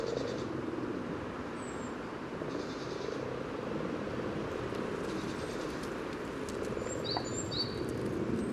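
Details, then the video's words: Spawning common frogs near Uppsala's Sunnersta yellow trail give a constant low, rolling purr of overlapping calls, recorded with a parabolic microphone just above the water; scattered high bird chirps and trills join near the end. "Spelande vanlig groda"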